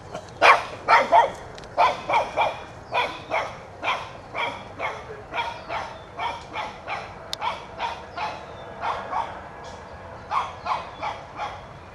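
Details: A one-year-old Shih Tzu puppy, Toby, barks at a whitetail deer, trying to drive it out of his yard; loud, clustered high barks open, then settle into a steady run of yaps, about one and a half a second.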